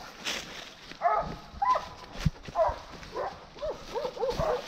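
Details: Hunting dogs barking while chasing wild boar: short, sharp harmonic barks in an uneven run of about eight over four seconds, coming faster toward the end, with rustling and thumps of movement behind.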